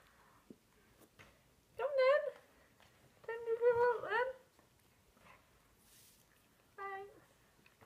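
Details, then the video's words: Husky called Angel, about to head out on a walk, gives three drawn-out, wavering whine-howls: a rising-falling cry, a longer warbling one, then a short final whine, with quiet gaps and a woman talking softly between them. "My little Angel - husky meets polar bear"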